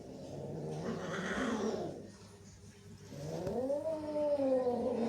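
Cats trade low, throaty growls and a drawn-out, wavering yowl in a tense standoff.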